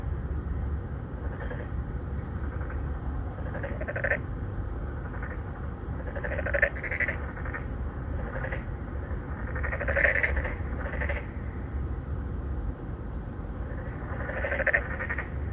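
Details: Pond in a Songdo, Incheon apartment complex, Korea, 2019: three or four narrow-mouthed frogs calling to attract females, recorded by Galaxy Note 9; overlapping nasal croaks from several callers in quick succession, low rumble beneath.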